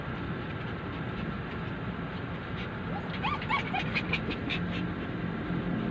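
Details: Chewie, one of the Poodle dogs left behind while their owner is inside a mall, crying: a brief burst of high, harmonic whines that rise and fall in quick succession, set against a constant low rumble of engine noise.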